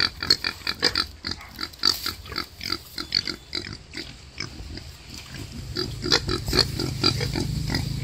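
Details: A wild boar sow giving birth gives a rapid run of harsh grunts and squealing snorts in close succession.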